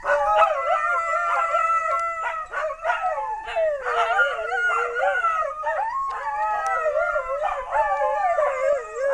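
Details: Chorus of dogs howling, August 2010, with multiple overlapping tonal voices wavering up and down continuously, layered at different pitches and punctuated by short yips.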